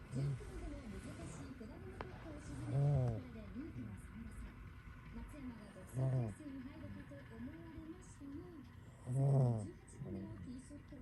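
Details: A domestic cat sound asleep inside a kotatsu as the weather turns cold, snoring: low, rumbling harmonic snores roughly every three seconds, each a short swelling burst, with quiet breathing between them.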